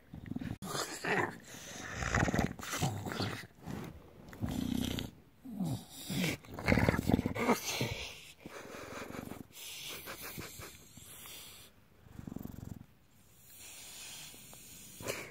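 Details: Bulldog having its belly rubbed makes low throaty growls mixed with snorts and rough, noisy breaths in irregular bursts, with handling sounds throughout.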